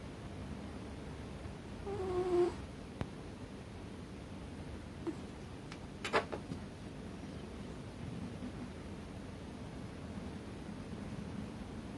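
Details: American Shorthair cat sound asleep on top of a chest of drawers, snoring heavily; one whistled, falling nasal tone with faint overtones around the second second, then quiet room hum and a few soft clicks.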